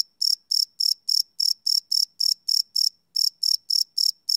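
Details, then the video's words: Crickets at night, recorded live without loops on a Sony PCM D100 field recorder: a high, ringing chirp pulsed in quick even bursts, about four per second, with one brief gap near the end; no other sounds. "Cricket Chirp Sound - Cricket Sounds at Night"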